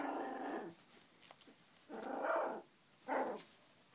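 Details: Three-week-old puppies giving soft whimpering calls in three bursts, the first lasting under a second and the later two shorter, with quiet pauses between them.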